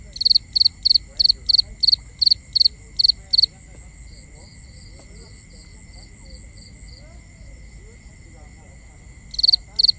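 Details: Night-time cricket chorus, recorded binaurally: a fast, regular train of about ten sharp, high chirps, about three per second, stops for several seconds of soft background hum, then two more chirps begin at the end.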